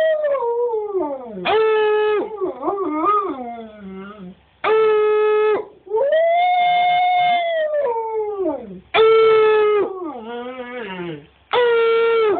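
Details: A male husky-wolf hybrid, encouraged by his owner, howls ("sings") in long, wavering notes that slide up and down in pitch.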